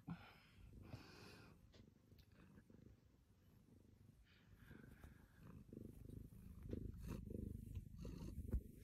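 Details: Pet cat purring up close indoors: a low, steady rumbling that swells and fades with each breath, louder toward the end, under faint rustling.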